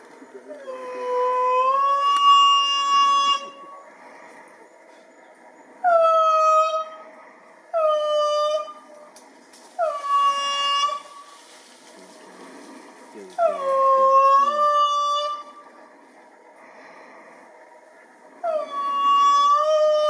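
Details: An indri sings in loud, rich wails audible for kilometres, each note rising sharply then holding, in bouts of one to three seconds with short pauses; indris call especially in the morning after waking to mark territory.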